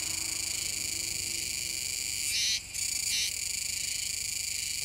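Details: Shrill, continuous buzzing chorus of Kuroiwa's cicada by the Kōme River mouth, Nishinoomote, Tanegashima, 7 September 2022, rising into a louder burst midway, cutting out briefly, then surging once more before settling.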